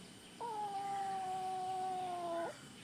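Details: Hungry-seeming kitten answering repeated questions about where it is hungry: a single drawn-out, flat meow lasting about two seconds, gently falling in pitch, clear against a quiet indoor background.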